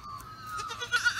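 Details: Goat kid, a few days old, bleating: a thin, high, drawn-out wavering cry ending in a few sharp, louder pulses, with quiet talking nearby.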